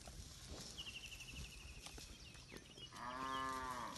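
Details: Village cattle, part of a herd of thousands roaming and grazing in a wide green rice field, give one rich, harmonic moo of about one second near the end, after a rattling high-pitched trill and scattered clicks and rustles.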